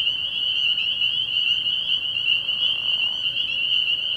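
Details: Massed spring peepers at an early-spring night pond, their high shrill calls blending into one unbroken ringing drone with slight pulsing in intensity.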